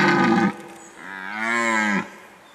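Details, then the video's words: Red deer bellowing during the breeding season, 2019: the end of one harsh roar, a brief lull, then a second deep, tonal roar that swells and holds for about a second. "Il bramito del cervo"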